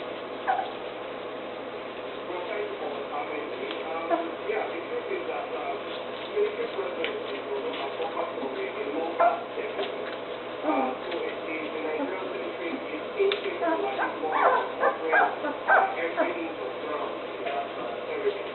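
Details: Julienne and Derringer's puppies, two and a half weeks old, eyes newly open and starting to walk around, give short high whimpers and squeaks in frequent bursts, thickest near the end, over a steady indoor hum and human voices.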